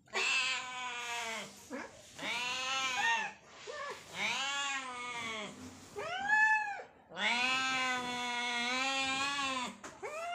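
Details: Two hungry cats fighting for food, meowing loudly; long strained yowling meows with rising then falling harmonic stacks, nearly continuous calling with brief gaps, one short higher meow in between.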